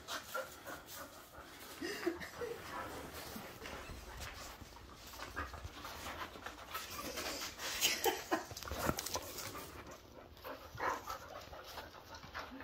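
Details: Bonny, a young Bull Terrier mix, and Lucy, an older Airedale Terrier, roughhouse indoors in the evening. Steady panting and rustling scuffles are heard, with brief snorts and faint thumps throughout.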